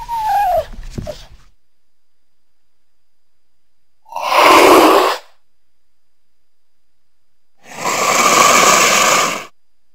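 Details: Cougar producing a quick squealing note at the start, followed by two separate forceful breathy hisses spaced about four seconds apart with silence between them.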